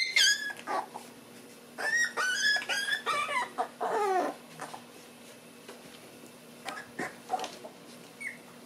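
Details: Black Shiba Inu brothers born on September 18, waking up after a sibling battle indoors: high, sliding whines and squeaky whimpers in several quick bursts, then shorter scattered yelps as they fade.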